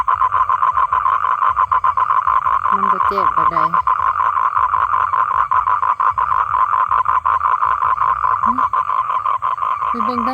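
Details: Male toad calling to attract a female for mating, giving an unbroken mid-pitched pulsing trill that repeats quickly and evenly throughout, while a man speaks briefly over it in a few spots.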